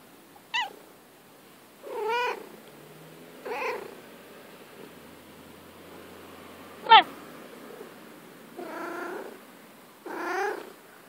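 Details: Female pet cat playing in the grass, meowing repeatedly: six clear meows spaced about one to two seconds apart, some short and sharply falling, others longer, rich and wavering, over a quiet background.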